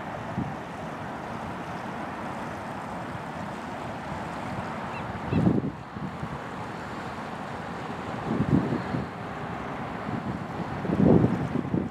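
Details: Steady wind and lapping water, with a few low, brief rumbles that could be boat noise or waves; no animal calls stand out.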